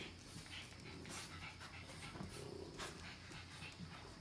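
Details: A short stretch of puppies playing, recorded in 2017: quiet, airy panting breaths in a loose rhythm over a low background hum.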